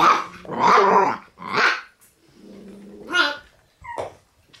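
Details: Young male red Shiba Inu, born 7 September, indoors, producing a run of rough, growly puppy barks, then a low rumbling growl and a sharper high yelp, with short silent gaps.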